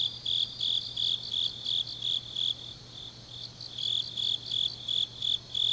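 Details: Autumn grass insects at night in Changnyeong, Gyeongnam, South Korea, chirping in rapid, regular high-pitched pulses about three per second, with a second fainter chorus layered above and a brief lull midway; steady low hum beneath.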